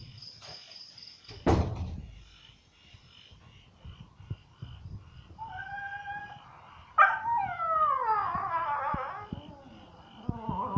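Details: At a dog resort in Phuket, a dog complains: a thud, quiet, then a level whine, followed by a burst of warbling, falling yelping whines and scattered clicks.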